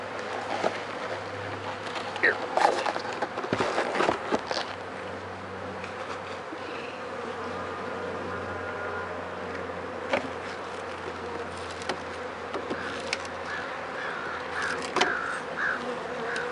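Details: Dense droning buzz of bees at their hive during a check for illness, with dead bees outside wet from days of rain; even hum broken by repeated handling knocks and rustles.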